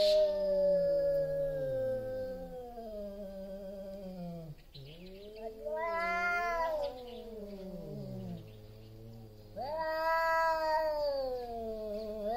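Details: Before a fight over territory, two large male cats exchange loud wavering yowls, one voice sliding up and down in warbling howls, the other a low drawn moan, with brief hissing at the start.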